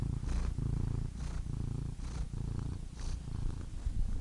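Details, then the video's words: Purring cat, meant for relaxation: a soft, low rumbling purr in rhythmic breathy surges about every second, with faint airy hiss on each breath. "Soothing Cat Purr Sound Effect"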